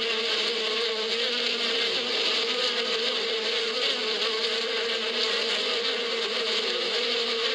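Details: Many bees buzzing in spring out in the desert steppe countryside: a steady, unbroken low hum with bright overtones and a constant hiss, holding level for the whole stretch with no pauses.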